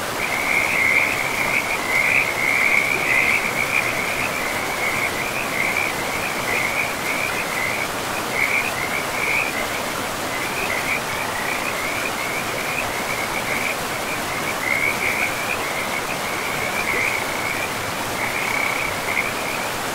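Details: Frogs calling beside a river in a pristine, moss-covered forest: a dense, steady chorus of short, high, trilling notes overlapping almost continuously, over two a second, with a soft rushing of flowing water beneath.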